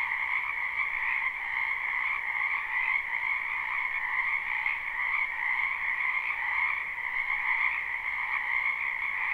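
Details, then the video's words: Spring wetland frogs in full chorus, a live unlooped recording: continuous shrill trilling that merges into a steady wall of sound with gentle swells, with no birds, people or wind heard. "Ambient Noise for Sleep Frogs Black Screen"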